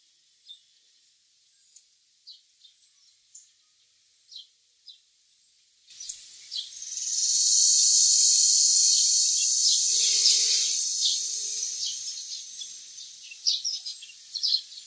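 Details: Eerie cry of a Philippine cicada from mountain foothills in Pit-os and Bacayan, Cebu City: scattered thin high chirps for six seconds, then a sudden intense shrill buzz that holds for several seconds and slowly fades back into chirping.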